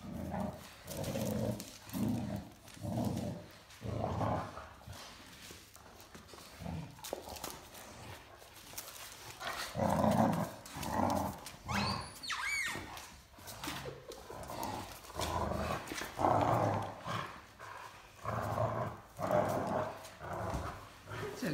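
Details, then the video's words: Mikey, a 14-week-old Great Dane puppy weighing 21 kg, growls during tug of war with his larger sister Ellie in an art studio. Gravelly growl bursts come about every second or two, with a brief higher squeak midway through. "Growling Great Dane Puppy Loves to Play Tug of War"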